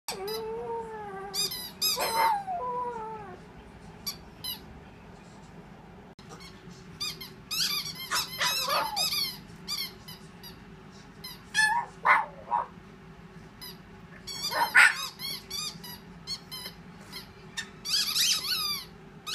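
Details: A four-month-old pug puppy gives thin, wavering howls in response to bursts of high squeaks from a squeaky toy.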